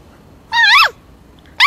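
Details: Norwegian Buhund giving a greeting: a short, high, harmonic squeak that rises slightly and then drops away in a falling tail, followed about a second later by the start of a second squeak.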